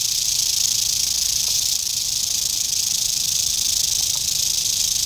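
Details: Eastern diamondback rattlesnake, dated 8-27-11, producing a short burst of unbroken rattle: a piercing, even, dry buzz filling all five seconds with no gaps.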